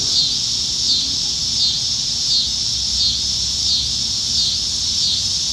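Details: Cicadas singing up in the trees on a summer evening in Nebraska, July 2019, plentiful in the dog days of summer: a dense, steady high buzzing chorus that swells and fades in slow pulses about every second.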